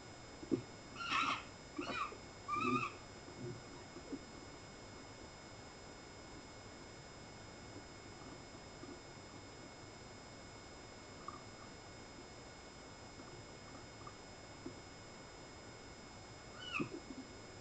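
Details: Three foxes calling on 14 May: a quick run of three short, harsh, harmonic cries in the first three seconds, then a long quiet stretch with faint steady hum, and a final short cry near the end.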